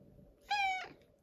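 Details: Pebbles, a female cat, calls insistently for breakfast one morning. A loud, bright meow holds a flat pitch for about a third of a second, then drops and trails off, over a quiet indoor background.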